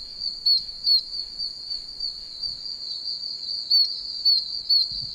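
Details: Oak toads chirping loudly from puddles in a wet wilderness area: short bright high peeps in irregular bursts of two or three over a steady whining chorus of many more toads.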